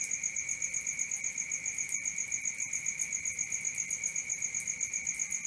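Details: Crickets at night, a steady high trill pulsing about four times a second with a strong pure tone and a second higher band, continuous and even, with no other clear sounds.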